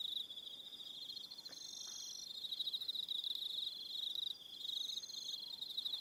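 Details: Crickets calling in the evening at Aroha Island, New Zealand: continuous shrill pulsed trilling from several insects, one steady band with higher bursts coming and going, a brief dip around four seconds.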